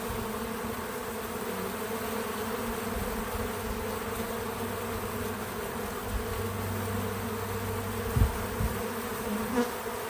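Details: Outdoors on a small farm, bees work a feeder with a smooth, constant wing drone; a deeper steady tone hums for several seconds in the middle, and two short louder bursts come near the close as a bee passes close.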